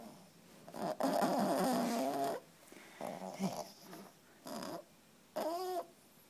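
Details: Tired female French Bulldog puppy, three months old, sleeping after playing all day: a rough, rattling snore of over a second, then several shorter snorts and a brief rising whistle at the end.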